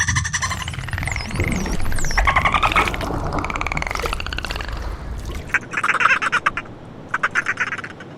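A dolphin gives rapid buzzing click trains and a few high, wavering whistles over a low rumble.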